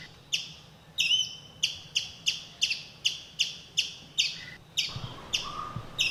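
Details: A small forest squirrel in Kumily, India, scolds the hotel's cat from cover by a verandah, and another squirrel takes up the alarm. High, clicking chick notes come roughly every half second, with softer low whistles near the end.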